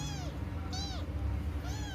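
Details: Domestic cat giving three short, arching, harmonic meows spaced under a second apart, each rising then falling in pitch, over a steady low hum.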